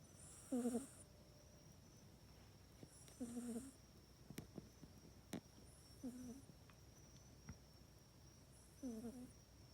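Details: House cat sleeping at night in its cat bed, filmed on an iPhone 8, snoring steadily: four buzzy, throaty snores about every two and a half seconds with breathy hiss, plus faint clicks and small room noises.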